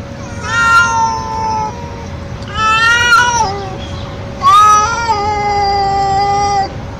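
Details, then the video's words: Loud calling from a young male street cat seeking a female in heat: three long, harmonic yowls, each starting high and falling or wavering before trailing off, with a constant low hum underneath. "Male Cat In Heat Sounds | Male Cat Calling Female | Male Cat Mating Call Sound Effect"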